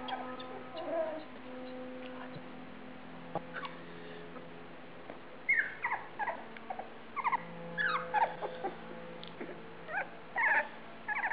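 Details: Australian Shepherds at feeding time, recorded September 12, 2010: high, thin whimpers come in short bursts, sparse at first and then clustering from midway, over a steady low tonal hum in the room.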